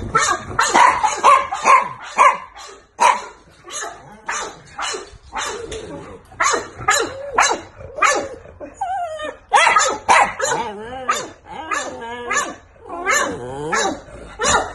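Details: Chihuahua puppies yapping in rapid, sharp high barks, about two a second, broken by wavering whines and squeals that rise and fall; bursts come in uneven clusters with brief pauses between.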